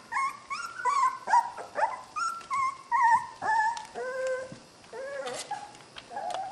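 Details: Puppies from Skar's litter wrestling in play, trading a busy run of high, wavering whines and yips, several each second, some bending downward in pitch.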